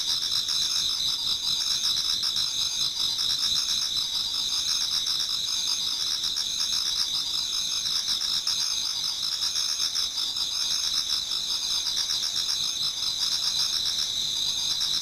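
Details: Many autumn insects singing together towards dawn in a Japanese garden: a dense, steady high-pitched ringing with rapid pulsing trills beneath, continuous throughout without pause.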